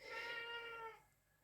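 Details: A male domestic cat indoors, just let in, gives one clear, harmonic meow lasting about a second, falling slightly at the end.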